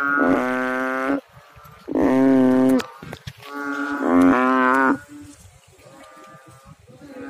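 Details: Frog calling in water with three strong, droning, harmonic croaks about a second apart, each roughly a second long, then quieter trailing calls.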